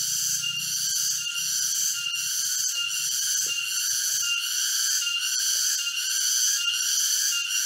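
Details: Forest cicadas near Jatiarjo in Prigen, Pasuruan, East Java, recorded October 23, 2020 on a walk: unbroken high-pitched ringing drone with regular pulses, faint low thuds of walking underneath.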